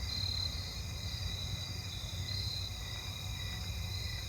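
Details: A broad-winged tree cricket trills steadily at night on August 22 in a residential neighbourhood near running water, over a low rumble of a passing car.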